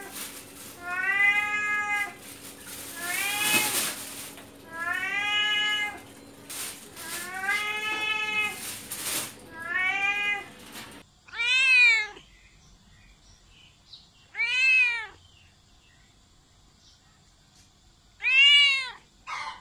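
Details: Domestic cat meowing, meant to draw other cats near: a run of arching, wavering meows every second or two over a faint hum, then sharper, louder, shorter meows spaced a few seconds apart in near silence.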